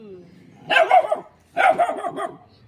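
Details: Small dog barking at a shy cat: two loud bursts about a second apart, each a rapid cluster of harsh yapping barks, with a faint human voice just before.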